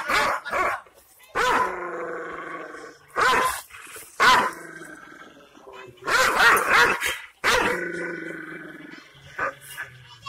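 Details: A Kangal Shepherd Dog in Aksaray, Anatolia, Turkey, barks angrily at unfamiliar visitors to guard its owner's property, in deep, harsh bursts, some drawn out into growling roars.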